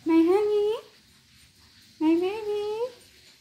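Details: Pet cat indoors, a male said to be asking for the door to be opened so he can go out and play: two drawn-out, tonal meows, each rising then levelling, about two seconds apart, with a quiet room between them.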